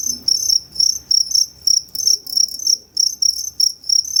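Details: Two-spotted crickets at Tama Zoological Park, Japan, 29 September 2015, performing two different call types; clear high chirps in quick regular succession, each a short buzzy burst, against a quiet background.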